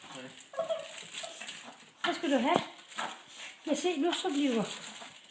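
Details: A happy Yorkshire Terrier gives excited, wavering whines that rise and fall in a yodelling pattern as grandmother arrives bringing it meatballs.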